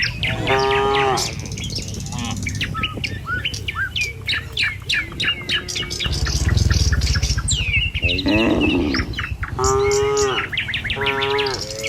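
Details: Tame cattle travelling in a line along a village road to their pen in the morning; a short moo opens, then a long stretch of dense, chirping birdsong, followed by a harsh bellow and a longer moo near the end.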